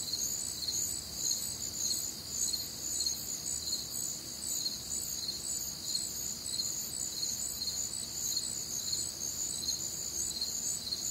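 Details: Crickets chirping together on a warm, humid summer night in the Midwest; high, pulsed trills repeat in loose, slightly uneven beats about twice a second, layered densely over a soft low background.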